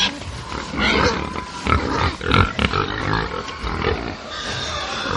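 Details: Angry pigs on a farm: a dense barnyard din of overlapping harsh squeals and grunts, with sharp louder outbursts near the middle over a constant low rumble of many animals.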